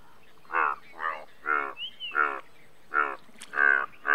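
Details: Indian bullfrog croaking in short, rich, harmonic bursts roughly every half second, some louder and some softer as more than one frog calls, with a brief whistled note in between.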